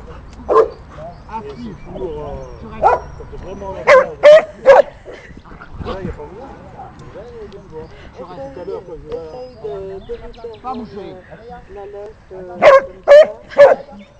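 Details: During a post-training break, an elderly female golden retriever guards a pebble she is chewing and barks at Ganache, a Bernese Mountain Dog trying to snatch it; scattered single barks, then tight bursts of three near four and thirteen seconds, over people talking.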